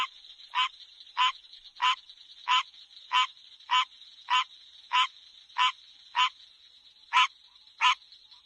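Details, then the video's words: Frog at night giving short, harsh croaks, each repeated roughly every two-thirds of a second, about a dozen in all, over a steady high-pitched hum. "Did You Ever Hear Frogs Sound Like This?"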